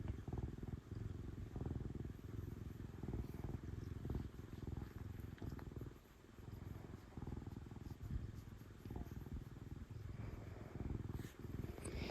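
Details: Loud purring from an affectionate female cat receiving pets: a sustained deep rumble pulsing with her breathing, dipping briefly midway, with intermittent rustling and a sharp handling noise near the end.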